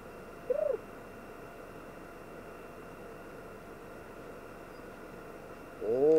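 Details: Pet cat from a household of four cats, giving a short arched mew near the start, then a louder, longer meow with rich overtones at the very end, over a steady low electrical hum.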